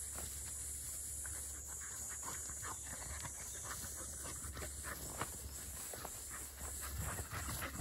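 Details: Field-type Labrador Retriever puppies, 197 days old, a black female and a yellow female, at midday break, with a 12-year-old Labrador also present; faint, quick breathy panting bursts, several per second, over steady background hiss.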